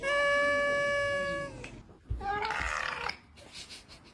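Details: Domestic cat from a compilation of funny meowing cats: a long, steady, high meow of about one and a half seconds, then a shorter wavering meow, with some room noise and faint voices.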